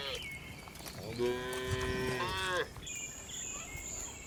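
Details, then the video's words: A tame cow on a village farm, herded toward the barn in the afternoon, gives one long steady moo of about one and a half seconds, rich in harmonics, followed by a faint high tone. "Funny Cow Sounds"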